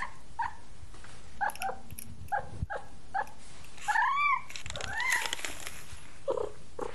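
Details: Small stray kitten investigating new surroundings calls with quick repeated high mews that build into two louder arched, wavering cries, all over a continuous background hiss.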